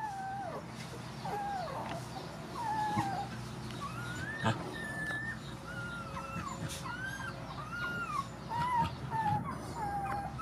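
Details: Puppies and mother dogs being fed at a rescue: thin, tonal whimpers that rise and fall, repeated every second or so by several animals, over a low steady background hum.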